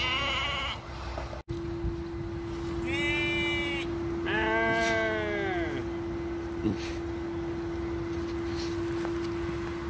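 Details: Strange-sounding sheep at a petting farm where a Basenji dog is visiting: a short bleat, then two long quavering bleats in close succession, over a persistent hum and faint background noise.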